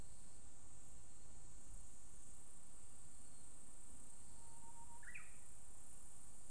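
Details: Higurashi, the evening cicada, singing just after the rainy season while a Japanese bush warbler also calls: a constant piercing high buzz throughout, a faint brief whistle, then a short warbler note near the end.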